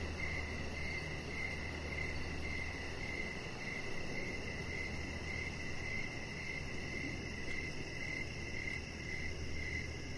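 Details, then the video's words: Crickets chirping outdoors in the evening beside a deck: a steady series of short, high chirps about twice a second, over a constant low rumble and a fainter, faster pulsing buzz higher up. "3 Hours Of Chihuahua Puppy Laying On Deck with Cricket Sounds"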